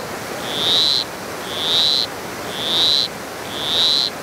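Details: Croaking of a granular poison frog, Costa Rica, south Pacific low mountains: four evenly spaced high buzzy notes, each swelling and ending abruptly, about one per second, with constant low hiss of forest or water noise underneath.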